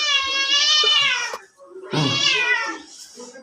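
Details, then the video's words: Pet cat meowing twice indoors, two strong drawn-out meows separated by a short pause, each bright and slightly falling in pitch, with a little human voice in between. "আমার বিড়াল আমারে কয় মেও"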